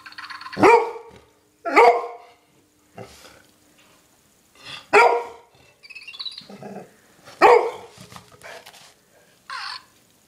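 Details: Scotty, a female golden retriever aged 7.5 years, roused by a mouse indoors; sharp barks repeated every one to two seconds, five strong ones with softer whines and scuffling between them.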